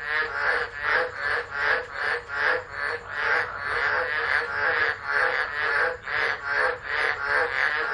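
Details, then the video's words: Tropical frogs calling during a tropical storm at Driver, Northern Territory, Australia, on 13 December 2013, recorded by a phone left alone. A dense chorus of rasping, pulsing croaks repeats about two to three times a second without pause. "Tropical Storm Frogs Singing"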